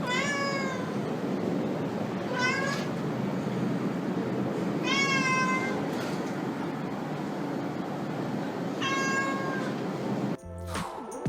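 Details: Ordinary domestic cat meowing: four short, clear, slightly falling meows spaced about two seconds apart, set against a constant loud hiss, ending in a brief clatter.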